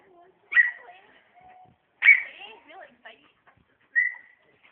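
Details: Two dogs playing, not fighting: a big dog and a friend's smaller dog. Three sharp, high yips sound about one and a half seconds apart, with soft whining and murmuring between them.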